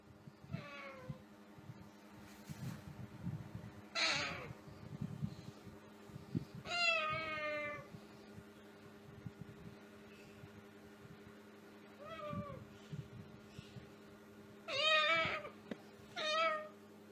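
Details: Pet cats heard in a compilation: several separate meows and drawn-out yowls with falling tones, spaced a few seconds apart over a steady low hum, with faint rustling between calls.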